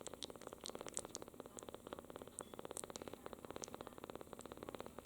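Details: Fourteen-day-old kitten named Natsu, a rescued cat, purring softly while licking a finger; a fast, even rumbling pulse runs steadily throughout, with a few faint high clicks above it.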